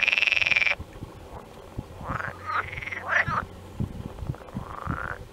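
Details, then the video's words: Frogs heard behind a stork feeding its young: a loud sustained trill at the start cuts off abruptly, followed by scattered rising croaks and short, irregular knocking sounds. "those crying frogs"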